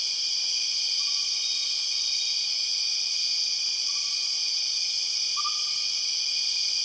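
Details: In Borneo's rainforest, empress cicadas keep up a constant shrill, layered buzz; three faint brief lower whistles, the last one louder, sound beneath the steady drone.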